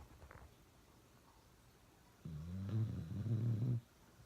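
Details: Domestic dog Uno gives one long, low, growly snore of about one and a half seconds after a quiet stretch, indoors.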